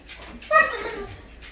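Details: Great Dane, excited, greeting its owner as he comes home: one brief, high, tonal whine that swells and then fades, with a faint voice murmuring in the background.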